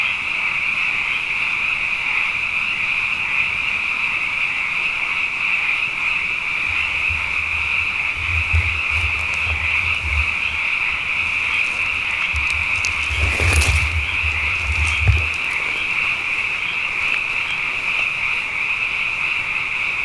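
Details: Frogs calling night after night, plentiful after two wet years, form a continuous high-pitched trilling wall of sound; a low rumble comes and goes midway, and a sharp broadband knock cuts through once near the end.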